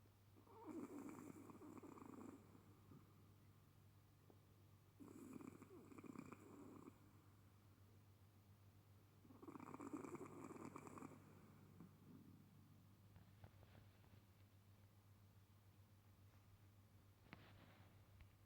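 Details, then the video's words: Sleeping Chihuahua snoring: rough, rasping breaths about every four to five seconds. The first three snores are loud, and later ones fade to faint wheezes. A constant low hum sits in the background. "Chihuahua snoring"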